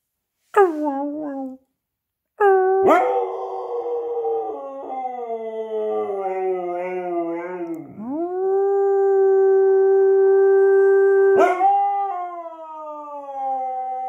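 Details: Siberian Husky howling: a short opening howl, a pause, then a long sustained howl that wavers and dips before settling into a steady, level tone, ending with a slightly lower falling note.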